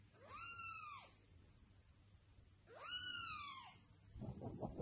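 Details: Pet cat uttering two drawn-out meows that rise, hold and fall, about two seconds apart, followed at the end by a burst of rustling or handling noise.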